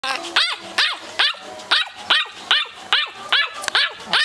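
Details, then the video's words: A tiny teacup Lhasa Poo puppy, 12 weeks old and weighing 18 ounces, gives high, sharp yips in a steady run, about ten over four seconds, each a quick rising-falling bark. "teacup lhasaPoo pup"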